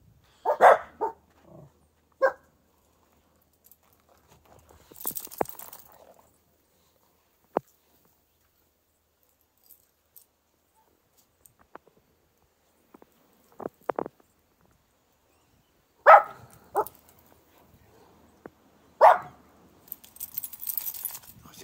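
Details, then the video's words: Dog playing in fresh morning snow, giving scattered short barks with long quiet gaps, a few clusters of two or three barks; some crunching and a person briefly speaking about the snow. "Doggie playtime in the fresh morning snow"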